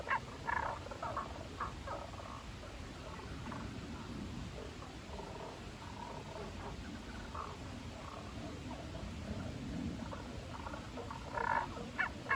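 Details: Tago's brown frog calling unseen from inside a hole in Yoro Park, Yoro Town, Gifu Prefecture, Japan, on 27 April 2024; short low croaking notes in irregular bursts, clearest near the start and end, over a steady background hum.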